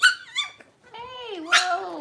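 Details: Six-week-old Cavalier King Charles Spaniel puppies, indoors while being dewormed and having toenails trimmed: a string of high, wavering whines and yelps, one sliding downward in a long drawn cry near the end.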